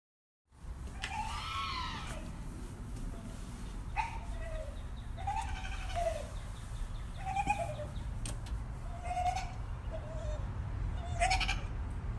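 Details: Dog making strange noises: a series of about seven quiet, squeaky, arching calls, each rising and then falling, spread over ten seconds above a steady low rumbling background.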